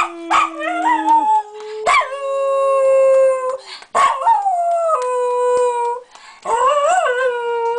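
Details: Thunder, a small pet Jack Russell Terrier, howling and talking: four drawn-out tonal howls, each starting high then sliding down and holding steady, separated by short breaks, with a brief lower note near the start.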